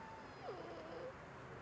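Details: A Boston Terrier gives a thin, wavering whine that slides downward, voiced on cue as a trick when asked how a baby goes, imitating a baby.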